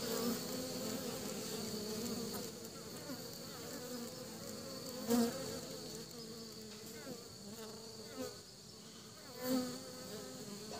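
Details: Steady droning of honey bees returning to the nest with pollen, several bees humming together, with three short louder buzzes as single bees fly close by.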